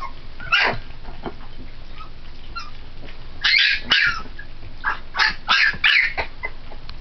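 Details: Three-week-old Pit Bull pups at lunch on puppy formula and playing with each other: bursts of high, squeaky yelps and whimpers, clustered in quick runs near the end, over a low steady background hum.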